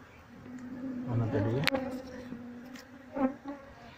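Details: Honey bees moving around their queen during a colony transfer to a cardboard box; a steady, even drone with clear harmonic bands, a brief louder swell and a sharp click.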